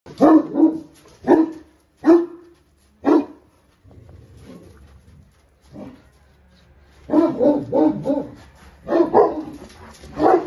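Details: Central Asian Shepherd Dog charging a fence, giving deep, loud barks in quick pairs and singles over the first three seconds, then after a quiet pause a rapid volley of repeated barks to the end.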